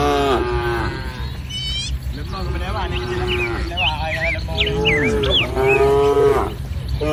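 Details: Dozens of tame village cattle gathered in a green field lowing repeatedly, overlapping moos rising and falling, while small birds chirp and twitter high above throughout.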